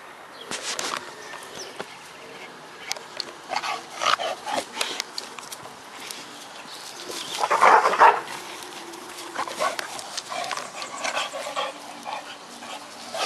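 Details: Old English Bulldogs, possibly the dogs Kadafi, Lola and Ruska, giving short, irregular bark-like bursts, loudest around the eighth second, with brief quieter yelps between them over a rustling background.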